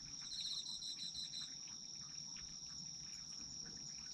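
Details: Insects of autumn in chorus, a sleep soundscape: an unbroken high-pitched trill with a brief run of fast pulsed chirps in the first second and a half, then only the steady trill.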